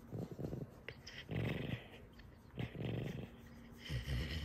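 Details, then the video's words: Pet fox indoors being mischievous, giving low, rough growling bursts in short broken runs, separated by brief pauses, with a faint steady hum in the background. "Баловство лисы"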